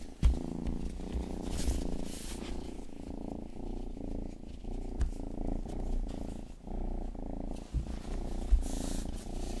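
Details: Purring and ear-licking by Rang-i, the youngest pet cat, grooming a binaural microphone indoors for a sleep-aid ASMR recording; a steady low rumbling purr with pulsing texture runs throughout, broken by soft wet licking clicks and smacks.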